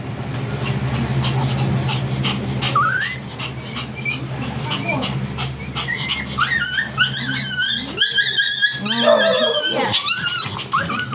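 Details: Sanji, a blue-line Shih Tzu stud dog, gives high, wavering whines that rise and fall in quick arcs, several in a row near the end, over steady background music and some talking.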